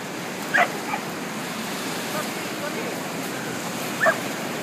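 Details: A Corgi at a Corgi beach gathering on 20 April 2013 gives two sharp, high barks a few seconds apart over a steady wash of background noise.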